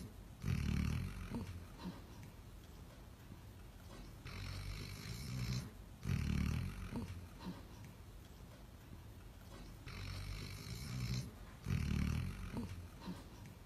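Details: Basset Hound named Dean, a pet dog: low rumbling snore-like breaths in bursts roughly every three seconds, each loud pulse followed by a softer raspy exhale, with faint hiss between.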